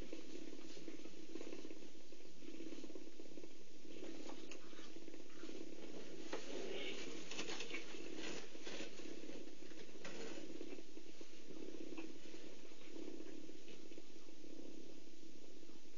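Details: Cheetah mother Meg grooming and feeding four one-week-old cubs at the Hoedspruit Endangered Species Centre, on a live Africam camera at 2:45 PM; gentle purring as the cubs settle to feed, a steady low hum with slow pulses under soft rustling and patter.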